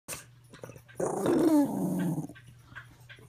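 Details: Dog whose medication was increased, giving an odd, strained, low howl that drops in pitch for about a second. A faint steady hum runs underneath, and soft clicks come before and after.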